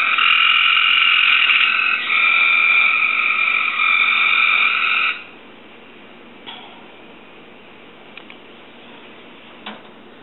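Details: A captive Cope's gray treefrog, singing in response to a recording, gives a fast, harsh, buzzy trill for about five seconds, then falls silent.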